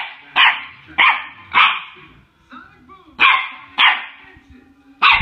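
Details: A 9-week-old Boston Terrier puppy gives high-pitched yapping barks in two quick runs of three.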